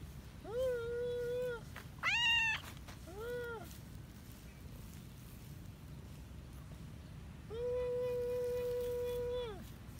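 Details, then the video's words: Cat wanting to play meows repeatedly: a long level meow, a sharp higher one, a short falling one, then after a pause a drawn-out steady meow lasting about two seconds, over low background hum. "meow wants to play..."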